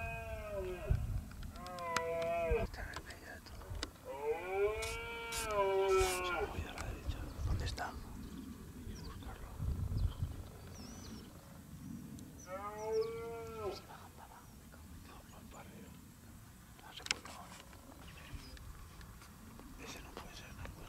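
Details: Red deer in the rut near Acrijos, Soria, 29 September 2017: three bouts of arching, moaning bellows separated by quieter gaps, with clicks and low rumbling noise between calls.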